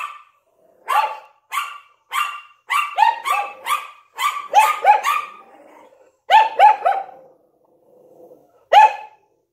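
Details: Yorkshire Terrier with a Lhasa Apso barking from a window indoors; sharp high yaps, single and in quick runs of two to four, irregularly spaced, fading to isolated barks near the end.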